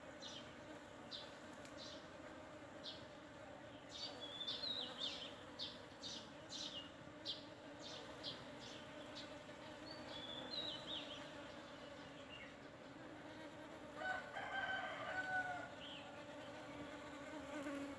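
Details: Buzzing honeybees at a sandpaper vine in full bloom, rural Thailand, with no added sound: an even, low droning hum continues under clusters of sharp bird chirps early on and a louder bird or fowl call around the fourteenth second.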